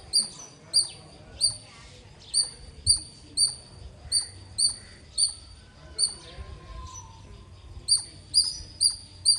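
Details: Loud squirrel chirping: a steady train of shrill, short high notes, about two per second, briefly pausing then quickening toward the end.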